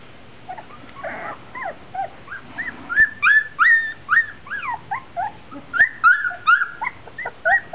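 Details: A litter of 4-week-old Golden Retriever puppies whimper and squeal in quick, high, overlapping bursts.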